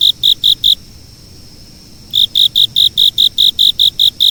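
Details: Shrill insect chirps: a short burst of four pulses, a silent pause of over a second, then a brisk run of evenly spaced high chirps.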